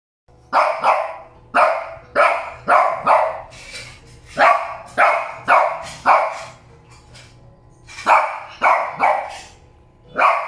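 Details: Two Shih Tzus, Molly and Loly, give sharp, high-pitched barks in quick bursts, often two or three close together, while a person says "no, no".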